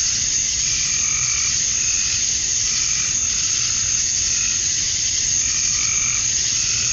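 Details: Cicada males singing to attract mates during summer dusk in Georgia, USA: constant piercing, rasping drone without pause, overlaid by quieter lower warbling tones that recur every couple of seconds.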